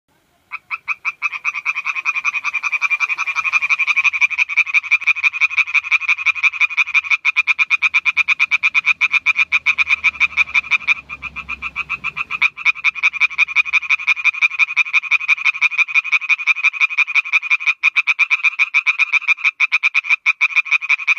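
An Oriental tree frog calls in a fast, steady run of sharp, nasal clicks that continues without a break.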